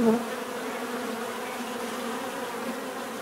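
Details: Bees give a close, constant buzzing hum, one clear low tone over a dense swarm drone, briefly louder at the start then holding level.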